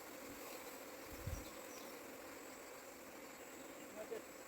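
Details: Honey bees in the Nepal Himalayas being transferred from forest into a hive box by a beekeeper; a continuous droning hum of many bees, with a brief low thump midway.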